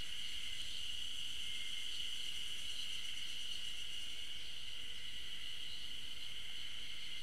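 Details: Chorus of Ezo spring cicadas, heard but not seen, on a trail at the Tokyo University of Agriculture Okhotsk campus, 15 June 2012: a continuous high buzzing whine with a gentle rapid pulse, about three beats a second, unchanging for seven seconds.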